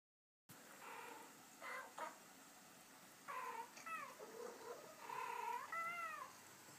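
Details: Two male Abyssinian cats reacting while watching a recording of female cats chatting; several short harmonic meows and wavering, rising-falling mews in bursts, the clearest cluster near the end, with quiet room noise between.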